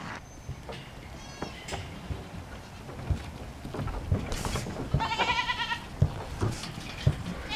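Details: African Pygmy goat doe giving a wavering, quavering bleat about five seconds in, after a shorter faint bleat earlier, amid thumps and handling noise with a person speaking softly nearby.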